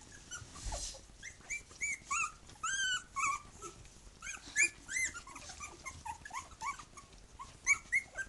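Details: Three-week-old puppies together with their mother, Bhoomi, whining loudly: clear high arched squeals and yelps, each brief and rising then dropping, coming in quick bursts from more than one pup, with light shuffling noise.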